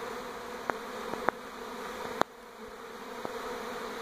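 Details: Honey bee swarm moving from an old to a new hive around a home in NE Portland, 2018: dense, steady droning hum of many bees, broken by a few sharp clicks or taps.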